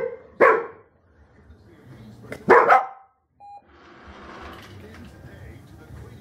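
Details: Rhodesian Ridgeback in a Manners Minder training session: two loud, abrupt barks about two seconds apart, then a brief electronic beep and a person talking quietly in the background.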